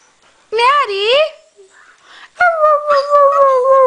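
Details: Norwegian Elkhound Maddie singing along with a Husky: a short wavering, yodel-like howl rising and falling, then a long steady howl that slowly drops in pitch. Both are rich in overtones, and the two are separated by a quiet gap.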